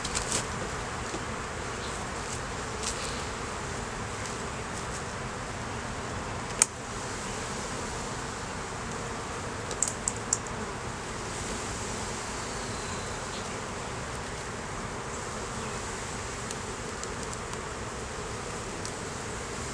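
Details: Open hive of honey bees at inspection, with honey, capped brood and larvae on the frames: an even, continuous hum throughout, broken by a sharp knock near seven seconds and a few light taps around ten seconds.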